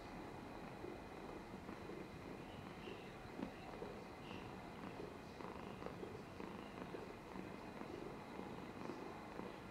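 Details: Pet cat purring while dribbling on 13 July 2022, a soft continuous rumbling drone rising and falling gently with each breath, over faint steady electrical-sounding hum.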